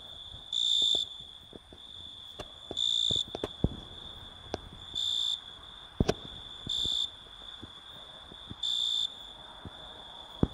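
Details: Italian tree cricket song: five pure, bell-like high trills, each roughly half a second, repeated about every two seconds, with a faint continuous tone beneath and scattered sharp clicks.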